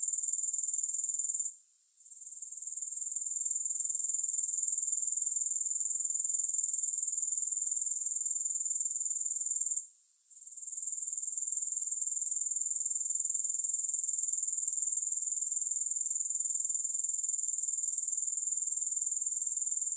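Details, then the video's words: Grasshoppers: a steady, high-pitched buzzing trill with a fine rapid pulse, broken by two brief quiet dips near the second and the tenth seconds; no other sounds. "Grass Hopper Sounds"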